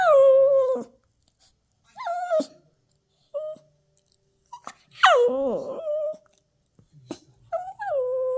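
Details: Toy Poodle puppy throwing a tantrum: long high whines that fall in pitch, several drawn-out cries separated by short silences, one wavering howl-like whine in the middle, indoors in a small room.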